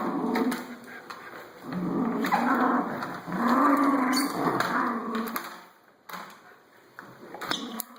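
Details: Rabixo, a pet Schnauzer, playing with a vacuum cleaner indoors in a small room: drawn-out, low harmonic growls and whines rise and fall in bursts over several seconds, then a short quiet gap with a few faint knocks.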